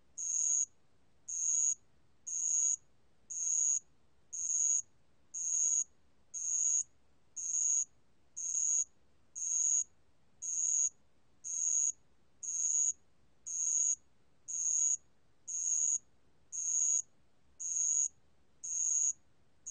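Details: Band-legged ground cricket song from a 2020 National Institute of Biological Resources recording: high, pure ringing trills about half a second long, repeated roughly once a second, very evenly, against a quiet background.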